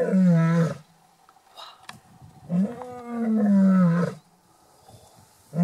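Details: Lion roaring on safari at Shamwari near Port Elizabeth, South Africa: two deep, drawn-out moaning roars, the second longer and slightly rising, separated by a quiet gap with faint clicks.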